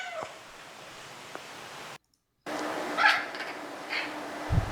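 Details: A Maine Coon cat gives short, tonal meows over a noisy, hissy background.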